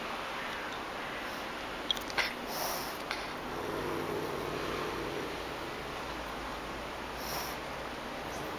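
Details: Pallas's cat; hiss; anger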